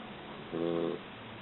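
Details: Sleeping Labrador mix puppy, three months old, giving one short rasping snore lasting about half a second, with a steady low background hum.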